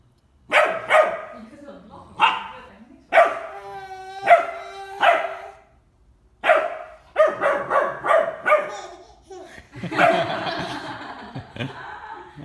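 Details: Bernese Mountain Dog puppy, ten weeks old, meeting a ten-month-old baby for the first time indoors; short, sharp barks come in bursts, with a drawn-out tonal cry near the middle and voices speaking between them.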